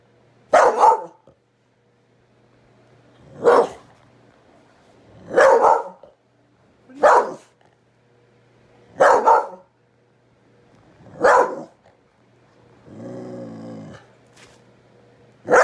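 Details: Domestic dog barking at a kitten, six sharp single barks spaced roughly two seconds apart, then a softer low groaning sound near the end, with a steady faint hum behind.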